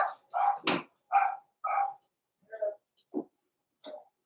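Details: Indoors in a puppy pen, young blenheim Cavalier King Charles Spaniels born in November 2022 yap in short, sharp barks roughly every half second, then trail off into softer, fainter yips.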